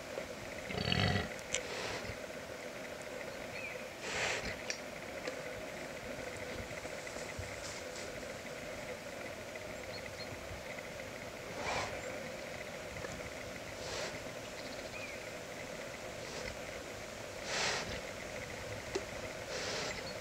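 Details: Wild boar sow protecting newborn piglets hiding in the bushes, uttering deep rough grunts and huffs at about one, four, twelve and seventeen seconds, spaced irregularly against a constant droning background hum.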